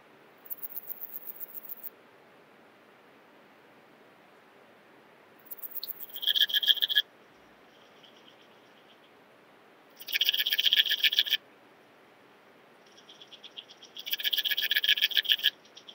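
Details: Common mountain bush-cricket (Antaxius pedestris) singing at Huben, Austria, on 8 September 2020, picked up with an ultrasound detector. High, hissing chirp trains last about a second and a half and return every four seconds.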